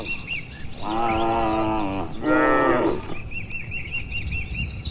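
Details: Grazing cattle in a broad oil palm plantation, tended by a herder: two long, rich moos in quick succession, the second louder, while a bird repeats short looping chirps in the background.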